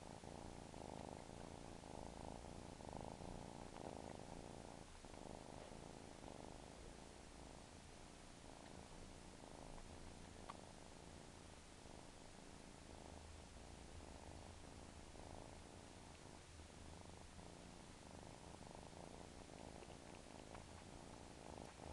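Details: Domestic cat giving a long, even purr, a continuous low throbbing rumble that holds steady throughout with little change in loudness.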